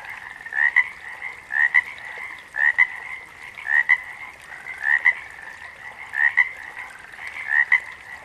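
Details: Frogs in a natural chorus; a nearby caller repeats a double note, a short rising croak and a snappy follow-up, roughly every 1.1 seconds, while many more frogs keep up a constant trilling backdrop.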